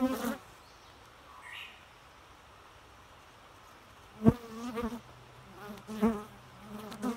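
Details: Bee buzz: a short low hum at the start, a long quiet stretch, then a loud wavering drone with pitch wobbles and a few sharp clicks as it passes near, continuing to the end.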